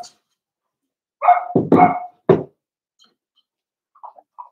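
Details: A quick cluster of yappy barks and yelps from seven-week-old Cavalier King Charles Spaniel puppies indoors in a puppy pen, trailing off into soft whimpering squeaks; five blenheim littermates share the pen.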